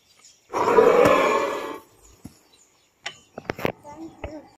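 A mugger crocodile gives one harsh, rasping roar lasting just over a second.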